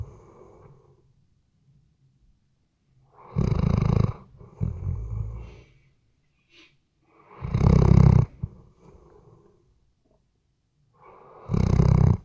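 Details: Sleeping Weimaraner snoring indoors, taken with a RODE NTG3B microphone: deep, rumbling snores with a rattling, breathy texture arrive about every four seconds, with a softer snort-like exhale after the first and quiet breathing between.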